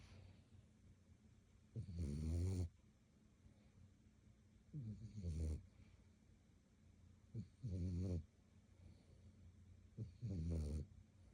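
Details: Dogs at play near midnight, around 11:30; four short, deep, grumbling growls come every two to three seconds, each rough and low with a faint buzzy edge, over quiet indoor hum.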